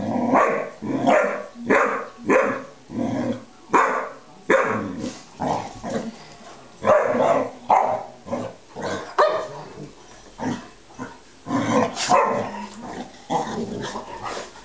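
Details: Two dogs at play, a bearcoat Shar-Pei named Sophie pestering a Tibetan Mastiff named Flynn, who would rather nap: rough, harsh growling barks in short bursts, repeated roughly every half second to second across the whole stretch.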